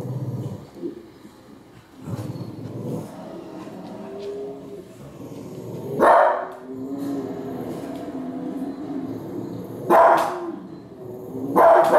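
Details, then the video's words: Female Cavalier King Charles Spaniel barking at Alaskan grizzly bears she dislikes: three sharp, bright barks spaced several seconds apart, near the middle and end of the stretch, between quieter low rumbling and murmuring background sound. "Cavalier King Charles barking at Grizzly Bears II"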